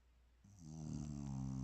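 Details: Snoring bulldog asleep, a low vibrating rasp building in loudness over a second, with a breathy hiss above it.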